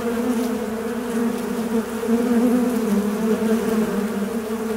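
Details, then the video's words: Continuous fly buzzing, a low droning hum with a strong overtone above it, steady throughout with small rises and dips in pitch and loudness as the insect moves. "Звук мухи. Жужжание мухи."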